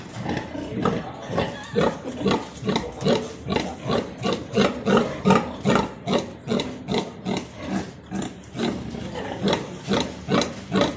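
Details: Landrace-Duroc crossbred sow farrowing a litter of 16 piglets at the Universidad Autónoma de Santo Domingo zootechnics school, Dominican Republic; rhythmic low grunts repeated about two or three per second, steady throughout.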